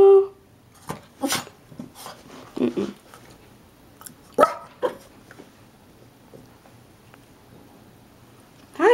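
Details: Two small indoor dogs, Gizmo, a black and white Shih-tzu/Maltese, and Kodi, a black and brown Yorkie/Maltese, greet at the door with short sharp barks and a whining yelp, scattered across the clip between quiet gaps, while a woman says hello.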